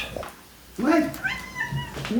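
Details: A domestic cat waiting on her snuffle mat for treats in the evening gives a short, high, squeaky meow to ask for them, with a person talking.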